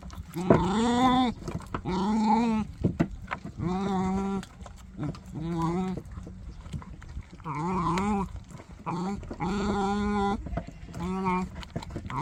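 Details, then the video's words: Puppy making strange noises as it eats: repeated wavering, groan-like whines, each about a second long, recur every second or so through the whole stretch. Soft crunching and low rumbling fill the gaps. "이상한 소리를 내며 먹는 강아지"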